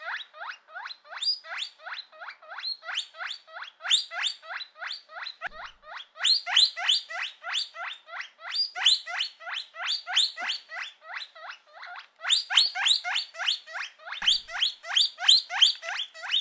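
A guinea pig gives loud, high, squealing whistles in a steady stream, about three each second.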